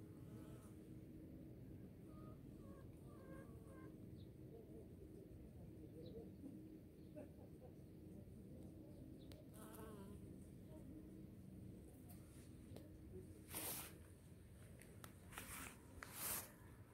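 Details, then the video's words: Bees in spring giving a steady, low droning hum throughout, with faint scattered bird chirps early on and a few sharp clicks near the end. "Bees in the spring"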